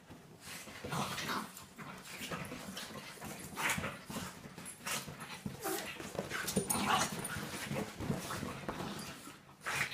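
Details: A Staffordshire Bull Terrier playing indoors with a French bulldog: rough scuffling bursts, short growls and whimpers come in irregular rapid flurries across the whole stretch, with thumps and movement noise between them.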